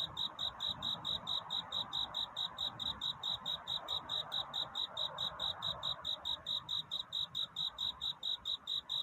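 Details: At night a cricket sings its courtship song seeking love; sustained run of bright, high-pitched chirps, regular and unbroken at about two per second, faint background hiss and hum.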